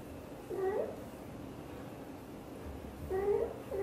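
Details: British Shorthair mother cat Xaxa, blue golden coat, talking to her tiny kitten Piano while hugging it; two short soft meows, the second rising and longer, with quiet room hiss between.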